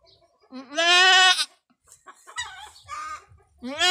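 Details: A first-time doe goat with long horns giving birth with difficulty on a small backyard farm; a loud, strained, wavering bleat near the start, another beginning at the end, with people talking quietly in between.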